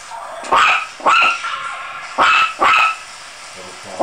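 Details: Scared Chihuahua puppy barking: shrill, high yapping barks, four in a loose run over a few seconds with short gaps, and a fifth starting at the end.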